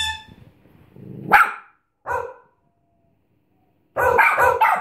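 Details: Bichon Frise giving two separate sharp barks, a silent gap, then a fast cluster of three yaps at the end.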